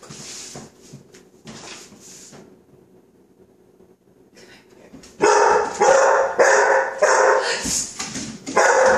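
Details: A young chocolate Lab named Coco, five months old and frightened of non-stick cooking spray, barks repeatedly in a burst of harsh, closely spaced woofs after a near-silent pause, with people squealing around him.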